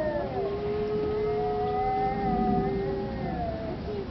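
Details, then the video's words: Arctic wolves at the Denver Zoo howling together, one long steady drawn-out tone held for about three seconds while higher voices slide gently upward and downward above it, with a low rumbling background. "Artic wolves howiling at the Denver Zoo"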